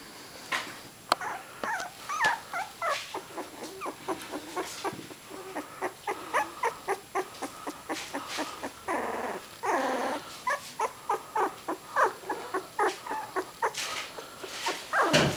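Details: Three-week-old puppies, eyes just open, apparently wanting their mother, give a busy run of short high whimpers and yips, several per second at times, with a few longer whines and a low growl; brief human voices and handling noises behind.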